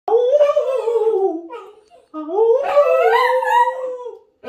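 A Jack Russell Terrier howls in two long, wavering, tuneful notes that rise and fall.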